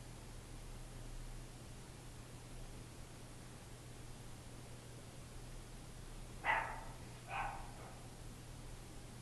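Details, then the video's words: Lap dogs barking: after a long quiet stretch with only a low hum, two short sharp barks arrive close together near the end. "lap-dogs barking"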